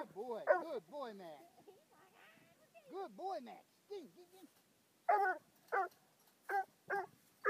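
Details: Bluetick hound, five months old, meeting his second raccoon: rising and falling whining yelps at first, then a series of sharp, separate barks roughly every half second to one second.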